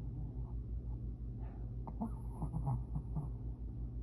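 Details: A sleeping Shih Tzu dog snoring loudly: a deep, continuous low rumble with rhythmic throaty pulses and faint higher nasal whistles in the middle.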